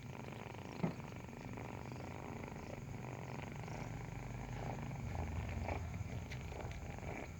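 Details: Breastfeeding kitten with a strong, deep, rapid-pulsed purr that swells slightly toward the end, one brief tap near the first second, otherwise quiet room.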